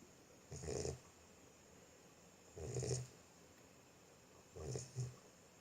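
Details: Sleeping Boxer puppy snores in three slow, husky, low rumbling bursts about two seconds apart. The last snore catches into a brief double snort. Steady quiet background between breaths.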